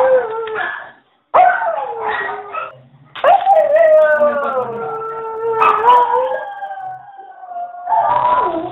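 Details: Pet dog singing in a series of long tonal howls, each starting with a sharp onset and easing downward in pitch, with a brief silence after the first and a strong sustained howl in the middle.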